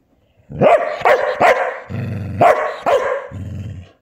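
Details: Border Collie bitch performing for her selfie on 8 January 2024, giving a quick run of five loud, harsh barks spaced about half a second apart, interleaved with low throaty growling.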